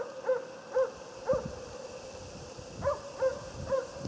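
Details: Jämthund named Otis barking during a moose hunt: distant, ringing barks in loose pairs and triplets, about two per second, with a steady tonal hum underneath.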